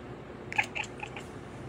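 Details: Rose, a pet cat indoors, chattering: a quick burst of about five short, clipped chirps within under a second, then quiet room sound.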